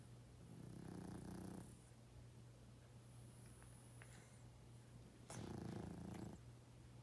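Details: A 12.5-year-old pug sleeping indoors, snoring loudly; two rough, low snores about four seconds apart, each lasting about one second, over a steady electrical hum.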